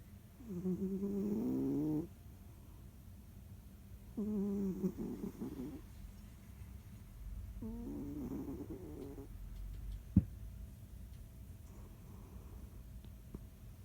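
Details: Sleeping cat Jiji, kneading as it snores: three rough, slightly quavering snore breaths in the first nine seconds, then quieter breathing and a single sharp tap.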